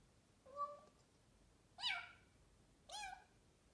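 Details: A talkative Bengal cat gives three short meows about a second apart: the first is flat and thin, and the next two are louder, rising then falling. Soft background hiss throughout.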